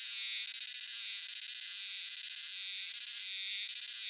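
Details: Chorus of Euterpnosia chibensis cicadas singing in dark forest around shrines and temples: a continuous high, shimmering buzz rising and falling in 'jiwaa jiwaa' waves about once a second, unbroken throughout.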